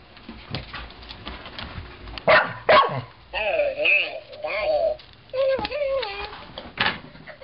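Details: Lucie, a two-year-old female Portuguese Water Dog, worked up over a talking ball she got for Christmas: two sharp barks, then a run of high, wavering, nasal whines rising and falling, with people talking to her throughout.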